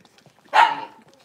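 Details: Blenheim Cavalier King Charles Spaniel puppy, one of a litter of five born around New Year's, moving into a bigger indoor puppy pen; a single sharp, high yipping bark lasting about half a second, then fading into near silence.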